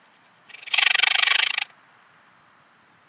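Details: Eastern Alpine Bush-cricket recorded at Heiligenblut, Austria, on 4 September 2020: a single dense burst of rapid pulses lasting about one second, high-pitched and buzzy, against a quiet background.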